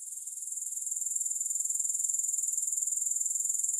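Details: Shrill chorus of grasshoppers, no music: a rapid rhythmic ticking buzz that grows gradually louder over the first second and then continues evenly at a high pitch.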